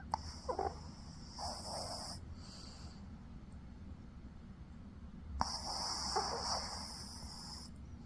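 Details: A dog snoring in its sleep, with two long hissing, airy breaths a few seconds apart, the second lasting about two seconds, and a faint wheeze between them.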